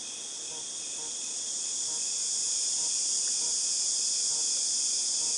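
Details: Cicadas in August 2018 keep up a steady, shrill, high-pitched drone like ringing in the ears, gently swelling in loudness, with faint soft pulses repeating beneath it.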